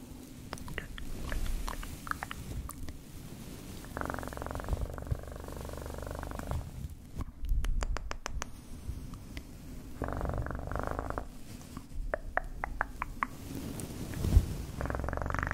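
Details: Low, continuous cat purr with swelling louder passages every few seconds, overlaid by intermittent soft clicks and tapping close to the microphone.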